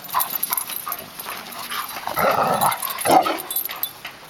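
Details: Playing Labradors: a Yellow Lab growls to rebuff an over-social 8-month-old Black Lab pup; scattered short huffs build to a sustained rasping growl near the middle, then a sharper yelp-like burst, with scuffling between.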